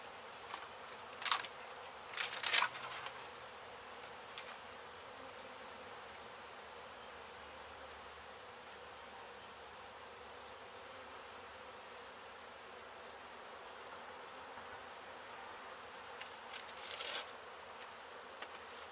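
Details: Dense, unbroken hum of honey bees being relocated from a hive struck during the demolition of an abandoned home in Mission, Texas, with a few loud bursts of rustling noise early and late.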